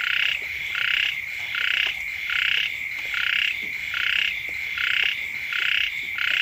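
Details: Frogs call beside a house as the first rains arrive. Eight grating, buzzy croaks come roughly every 0.8 seconds, with faint clicks and a steady high drone in the background.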